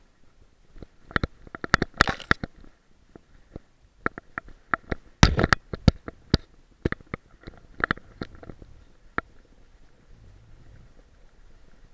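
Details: A dog burying a bone, recorded with an action camera strapped to the dog: scattered scratching, crunching and thumping noises with brief pauses, and no animal voice.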